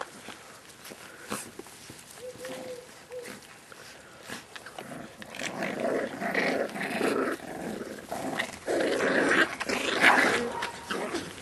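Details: Staffordshire Bull Terrier puppies, 38 days old, from one litter, recorded 20 September 2010: a short high whine early on, then rough, repeated growling and grunting bursts that grow louder and denser through the second half, indoors.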